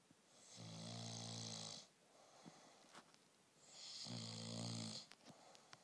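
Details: Snoring Bullmastiff puppy during sleep: two long breaths, each a loud hiss over a deep, evenly buzzing rattle, spaced about three seconds apart, with faint clicks between them.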